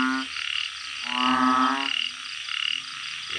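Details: Backyard-kept banded bullfrogs calling at night in Thailand: drawn-out nasal croaks, each lasting roughly a second, one louder caller over fainter ones, with steady background hum.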